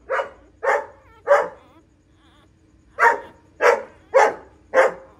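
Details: Female pointer dog whelping nine puppies at home; three evenly spaced barks, a pause of over a second, then four more barks at a steady pace.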